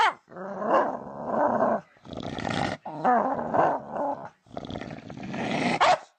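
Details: Weird dog noises: rough, gravelly grumbling growls in four bursts separated by brief pauses, with a few moaning, pitch-bending tones inside the rumble.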